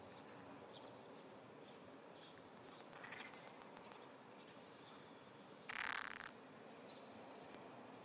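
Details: Under grass at 5:30 am on 16 June 2009, a Japanese wrinkled frog gives small vibrating calls: a faint rasp, then a louder, harsh, buzzy burst lasting about half a second, with steady background hiss.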